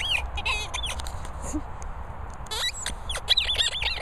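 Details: Molly, a Staffordshire Bull Terrier, gives thin high-pitched squeaks, several short wavering bursts near the start and a cluster around the last second, over low background rumble.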